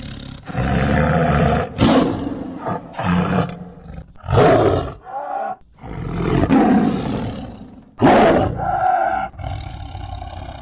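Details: An angry Bengal tiger (Panthera tigris tigris) gives a string of deep, rasping roars and snarls, each lasting about a second, expressing anger or aggression.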